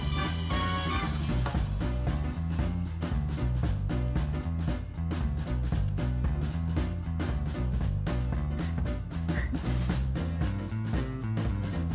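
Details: Swinging jazz-style music with a bouncy bass, a drum kit and brass-like tones plays throughout, with no animal heard.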